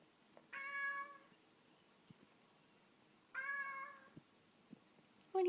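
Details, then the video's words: Cat asking to be let out: two drawn-out meows about three seconds apart, each roughly three quarters of a second, level then gently dropping at the end, over a quiet room background with a brief sound cut off at the close. "Kitty wants out"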